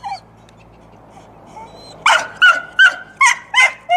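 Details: After a quiet start with faint whines, a dog gives six short, bright yapping barks at an even pace, roughly two to three per second.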